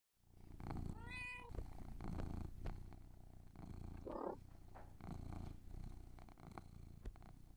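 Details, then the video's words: Male pet cat purring indoors while being groomed and eating treats, a steady low rumble throughout, broken by a short rising-falling meow early on and brief rustling and handling noises. "ASMR with my CAT! Purring, Eating, and Grooming"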